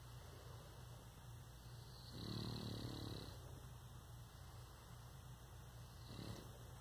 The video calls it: Boston Terrier Snoring - Relaxation to the Max - Puppy Love ASMR